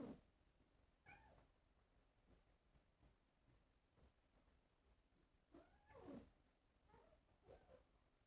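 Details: Cats before a mirror give sparse, faint meows: one short call near the start, a longer bending meow in the middle-late part, and two soft calls near the end over steady hiss.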